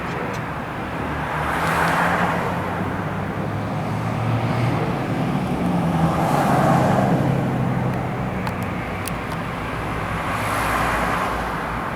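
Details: Steady road traffic rumbles throughout, with cars swelling past and no animal voice standing out.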